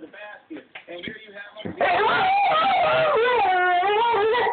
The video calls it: German Shorthaired Pointer Speaking